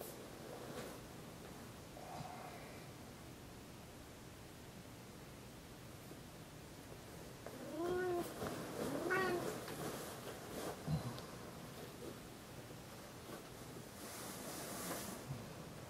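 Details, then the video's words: Tigger the cat calling his owners awake in the morning from the bed: quiet room sounds and rustling, then a pair of rising meows in quick succession midway, followed by soft bedding noise and a hissing rustle near the end. "Tigger acting as an alarm clock in the morning"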